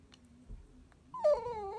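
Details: Pet Chihuahua indoors, vocalizing to ask for its ball to be fetched: low quiet sounds, then a short, clear, high-pitched whine that rises sharply and dips slightly near the end.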